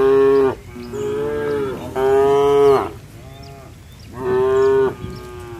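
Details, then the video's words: Tame cattle hurrying into the barn during a rain shower; a run of four long, level, harmonic moos close together, each about a second long, with light rain hiss beneath. "Suara sapi Moo"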